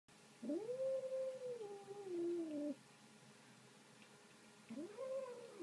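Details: Kitten kept indoors as a pet, given a bit of meat, makes a drawn-out, wavering, tonal whine lasting about two seconds that sags lower at the end. A second whine rises in near the close.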